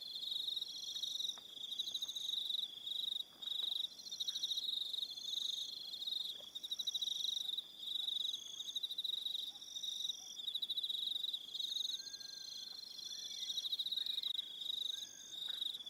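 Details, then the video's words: Evening crickets on Aroha Island, New Zealand, in a dense high trilling chorus, several layered pulsing bands that start and stop in short bursts, with a few faint chirps from other animals beneath. "Relaxing Evening Sound of Crickets"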